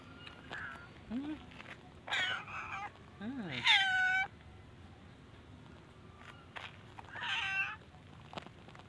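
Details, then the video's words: Cats and kittens living at a pagoda meow for food while staying wary of the person feeding them; several separate meows, some short and rising, others longer, higher and wavering, spaced across a quiet background with faint voices. "Cute Cats and Kittens Pagoda Meowing want food but they are afraid me"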